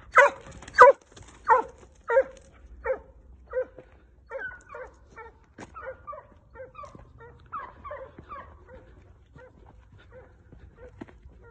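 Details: Two Segugio Italiano dogs working during training on hare. Loud, ringing bays open the clip, then repeated barks about every half second fade gradually into the distance over roughly twelve seconds.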